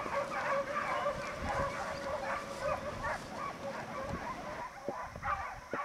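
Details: Segugio Italiano pack, European champions of 2004, on a hare hunt, heard more faintly: many hounds baying together in a steady, tangled chorus of short tonal cries, with some louder yelps near the end.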